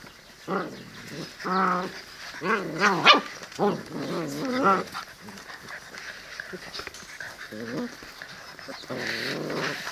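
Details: Seven-week-old Presa Canario and Cane Corso puppies whimper and whine in a run of high, wavering, tonal bursts that rise and fall in pitch, with short pauses between cries and a softer whine at the end.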